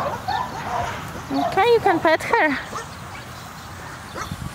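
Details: Siberian Husky vocalizing: a quick series of four or five high, bending, harmonic yowls in about one second, each rising then falling, followed by quieter room sounds and a faint voice-like murmur.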